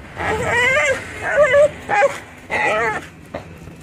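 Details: Crying from a stray black dog as a second stray jumps on a person: several short, quavering whimpers that rise and fall, separated by brief pauses, with light background murmur.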